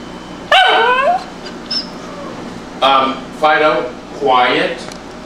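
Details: Indoors, a Tibetan Spaniel gives a string of barks and yips: one sharp bark, a short pause, then three rapid harmonic barks close together, with a little faint background noise.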